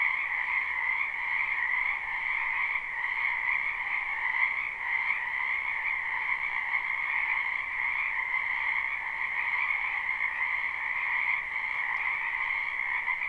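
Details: Frogs croaking in a spring wetland behind a house, live and unlooped: a dense, unbroken chorus of overlapping trilled croaks forming a steady two-toned drone, with no gaps and no other clear sounds.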